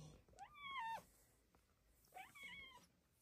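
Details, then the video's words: Female pet cat on a closet petting shelf in the morning, meowing in joy while being petted: two drawn-out tonal meows, rising then falling, about two seconds apart, in a quiet indoor room between a woman's soft speech. "Closet kitty chirps and meows in joy!"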